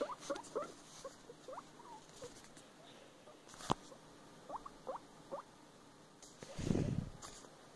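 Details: Female guinea pig busy with her food beside a box fort: soft chewing patter and scattered short rising squeaks, a few sharp clicks, and a louder low rustling burst near the end.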